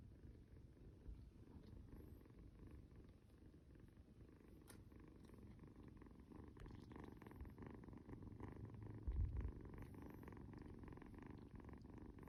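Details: Snoring kitten purring steadily while being cuddled, a low continuous rumbling throb with fast regular pulses, swelling slightly louder toward the end, with faint rustling of handling.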